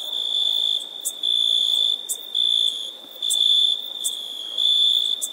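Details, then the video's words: High, continuous insect trill with a ringing tone, rising into louder stretches about once a second and dropping back, with faint clicking breaks between them. "Insect - Sounds Effect"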